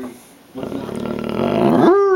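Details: A female Bloodhound at dinner time, begging for food, gives a groaning, rising moan that swells into an arched, whining howl.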